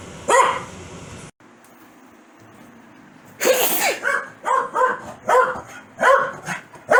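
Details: Pet Corgi Foxy reacting angrily to a sneeze, a single bark, a quiet pause, then a loud burst, possibly the sneeze, followed by a rapid series of barks.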